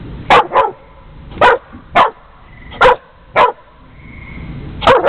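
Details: Jamie, a dog barking at fellow dog Houston: sharp, punchy barks, mostly in quick pairs, spaced by short pauses, with a faint whine-like tone between them and a closing double bark.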